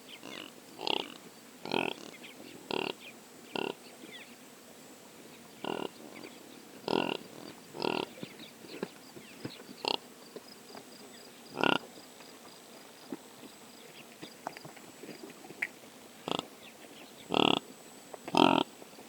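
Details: Impala recorded on a Sony PCM A10 drop rig: short, sharp broadband bursts at irregular gaps of one to two seconds, some in quick pairs, over a quiet background with a faint steady high hiss.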